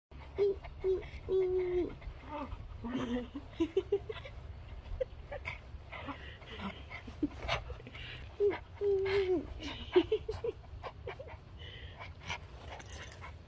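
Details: Charlie, a male Maltese terrier mix, whines in thin, drawn-out tones, some steady and some rising, in short runs with pauses; a person speaks in between in a small room.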